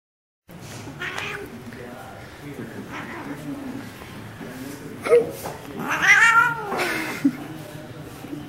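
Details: Domestic cat attacking a mitten indoors, giving a few short, rough meows and squeaks, with a louder wavering cry near the middle, over a steady background hum and some rustling.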